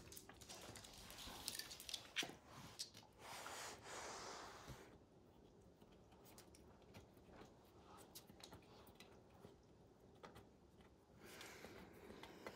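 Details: Max the dog chewing up and destroying the leather hide of a baseball; wet gnawing, crunches and snorting breaths in irregular bursts, busiest in the first five seconds, then quieter scattered clicks before a final flurry.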